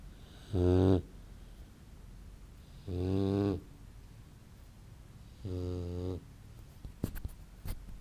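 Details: Snoring from a Great Dane puppy while asleep: three gravelly, low breaths at roughly two-and-a-half-second spacing, followed by a few soft clicks and rustles at the end.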